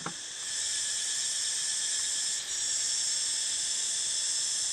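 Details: Cicadas shrilling together throughout a community forest at the Ban Khwao meditation center, Kaset Sombun, Chaiyaphum, Thailand, near the Phu Khiao mountains, 4 April 2021. A steady, unbroken high-pitched whine with layered tones, briefly dipping midway before resuming at full strength.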